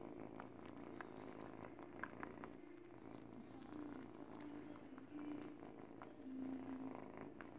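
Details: Eight-week-old kitten purring while teething on a baby blanket; a steady low rumbling purr runs throughout, with soft clicks and scratchy chewing noises scattered over it.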